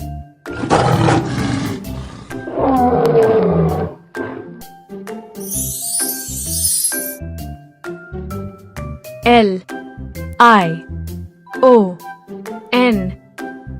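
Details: Lion roaring: two long, rough, rumbling roars in the first four seconds over steady children's background music, followed by a voice spelling out letters.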